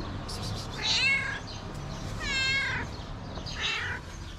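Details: Hungry feral stray cat meowing, three drawn-out harmonic meows spaced about a second apart, each rising then falling, over low outdoor background rumble.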